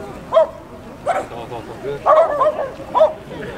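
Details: Japanese Spitz named Chii, an adult female shown at the Japan Spitz Association's 127th headquarters autumn show on 18 October 2020; about five short, high yipping barks come in an uneven burst, with people talking in the background.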